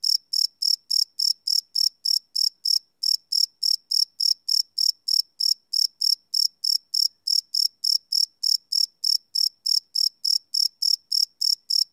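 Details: Night-time cricket chirps captured live with a Sony PCM D100: an unbroken train of shrill, evenly spaced pulses, roughly three each second, with one brief skipped beat; nothing else audible.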